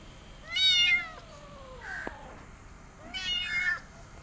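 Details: Rescued mother cat caring for her kittens and an adopted kitten, indoors; two clear harmonic meows, the first long and gently falling around 0.5–1.2 seconds, a shorter rising-falling one near 3.2 seconds, with a faint click between.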